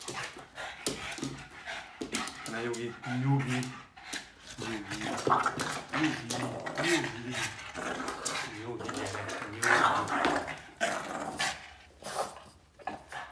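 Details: Yoda, a Boston Terrier, playing indoors during evening zoomies, makes stacked harmonic growly whines and grumbles, mixed with panting, scuffling and a woman talking in Hungarian.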